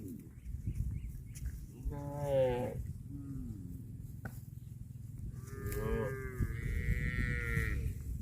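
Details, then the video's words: Grazing cattle moo twice: a short, wavering call early on, then a longer, rising and falling moo lasting over two seconds near the end, with constant low chewing and rustling noise beneath. "CUTE AND FUNNY COW SOUND EATING GRASS COMPILATION - COW MOOING"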